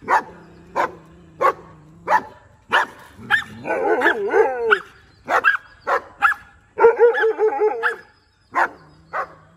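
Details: Rajapalayam dog barking while trying to interact with another dog, short sharp barks mixed with wavering, yodelling whines that rise and fall, and low drawn-out whimpers between.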